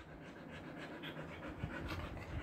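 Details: Siberian Husky with a trimmed summer coat panting in Kolkata's summer heat, India: quick, breathy, rhythmic huffs repeating several times a second at an even pace, over a steady low indoor hum.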